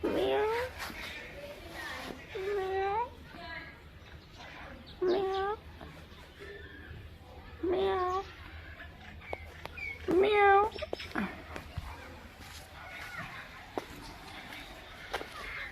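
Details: Cats and kittens meowing indoors: a series of short rising-and-falling meows, some higher and thinner like kittens, coming roughly every two to three seconds over a low background hum and faint clicks.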